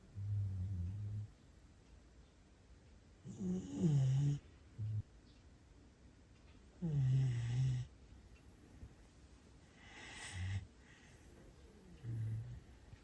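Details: Siberian Husky puppy Asiri in Japan sleeping soundly after enjoying a walk, snoring loudly: deep, rumbling low snores in bursts roughly every three seconds, some longer and rattling, with quiet pauses between breaths.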